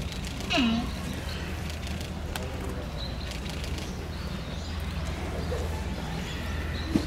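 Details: Giant panda Tantan at Oji Zoo on 19 January 2021, excited by falling snow, standing up and scratching. A single short, sharp call sweeps steeply down in pitch near the start, then low steady background hum and faint rustling.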